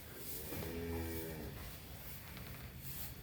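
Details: Cattle offered for sale ahead of the Qurban sacrifice in Salatiga, Central Java, described as healthy; a single low, harmonic-rich moo lasting about a second, over steady background noise.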